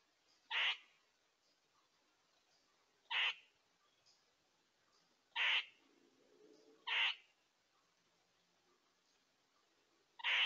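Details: On a trail camera in Tomahawk, Wisconsin, in early September 2022, a squirrel gives five harsh, nasal quaa notes near two small bucks. The notes are brief and raspy, spaced two to three seconds apart, with a faint low rumble between two of them.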